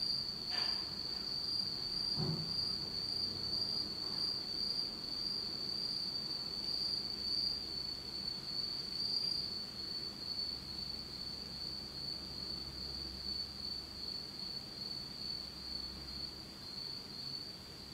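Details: Autumn insects calling on a pitch-dark night in Japan: a steady, high, shimmering trill holds one pitch throughout, with a faint higher overtone. A couple of brief low thuds break in near the start.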